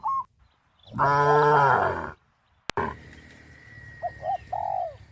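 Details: A single loud, full moo lasting about a second comes from tame cows crowding a field, followed by a sharp click and then soft hooting calls over quiet rural background noise.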